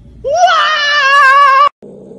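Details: Cat meowing into a karaoke microphone: one loud drawn-out meow with rich harmonics, rising slightly and then held steady for over a second before cutting off sharply. It ends in a brief quieter noise.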